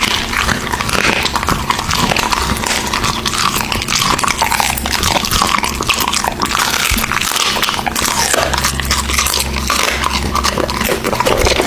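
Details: American Bully dog eating raw meat indoors, close-up: steady wet chewing, biting and crunching with continuous smacking and tearing, occasional low growl-like rumbles, no speech.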